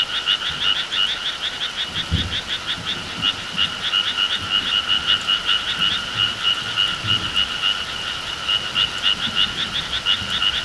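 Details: Summer countryside frog chorus: many frogs give fast, rattling, pulsed croaks with a bright upper tone and a lower hum, running steadily throughout. Faint low thuds sound beneath.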